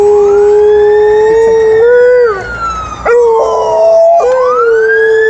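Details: Alaskan Malamute giving a welcome back howl in Upper Šiška: a long, smooth tonal howl with strong overtones. It holds steady, slides down and breaks off near two and a half seconds, then resumes in shorter wavering segments before rising into a sustained note.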